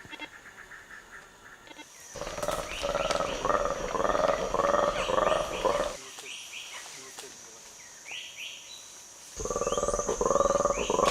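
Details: A black-and-white colobus gives its long eagle alarm, a fast train of rough, croaking roars that pauses and resumes, warning others an eagle was spotted; played back to feeding chimpanzees, who ignored it. A man's voice is faint.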